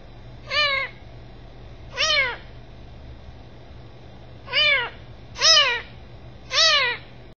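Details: Five short, high kitten meows, each sliding up then down. A long pause follows the second, then three come in quicker succession over a quiet low hum.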